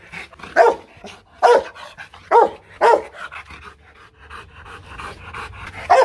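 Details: Aggressive Rottweiler barking at a Vietnamese kennel in Hanoi, belonging to the dog Loki Gervi; loud, harsh single barks spaced about a second apart with quieter panting and rustle between them.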